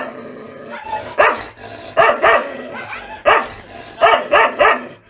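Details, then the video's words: South Indian Rajapalayam dogs, a hunting breed that works in packs, bark aggressively. Harsh barks come singly and in pairs, then a tight run of three near the end, about eight in all. "Aggressive Rajapalayam dogs from South india"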